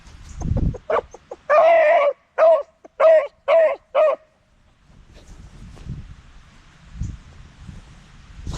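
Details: Beagle howling and hollering, a few short yelps leading into a long wavering howl and four more tonal bays spaced about half a second apart, followed by quiet rustling and a faint thump.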